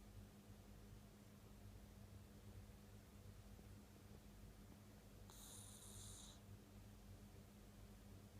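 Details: Chihuahua named Choco snoring contentedly while asleep beside a kotatsu in the daytime, indoors; a low, steady rumbling snore runs throughout, with a brief high-pitched sound near the end.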